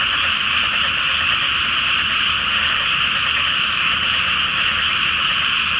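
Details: Frogs calling together by night over a water-filled rice field awaiting planting, full moon overhead; countless overlapping voices merge into one continuous, even, high-pitched trilling drone without pauses.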